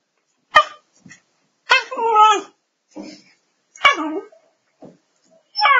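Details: A pet dog named Godzilla makes whiny, voice-like whimpers and yips in short bursts, some rising and falling in pitch, separated by brief silences, with a few sharp clicks between them.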